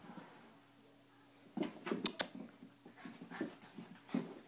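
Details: Salty the schnauzer and Concetta the Italian greyhound play-wrestling inside. A quiet stretch gives way at mid-clip to sudden snorting growls and sharp clicking snaps, then scattered gruff huffs continue to the end.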